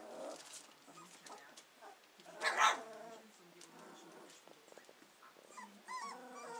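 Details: Hovawart puppies a little over two weeks old: soft whimpers and one brief loud squeal, then quiet shuffling, with small rising and falling whines near the end.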